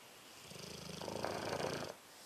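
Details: A sleeping rescued Dogue de Bordeaux named Louie gives a single swelling snore, rough and buzzy, building over about a second and a half before cutting off into quiet breathing.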